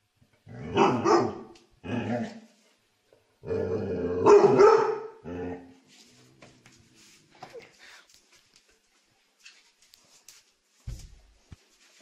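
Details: Dog giving three long, rough, growly barks in the first five seconds, each close to a second in length, then quieter scattered knocks and faint noises until the end.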